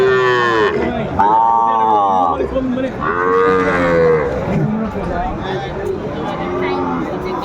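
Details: Sahiwal breed bull calves at a cattle market in Chattogram, Bangladesh, 14 January 2025: three long, tonal moos about a second each, spaced over several seconds, then fainter lowing beneath market chatter.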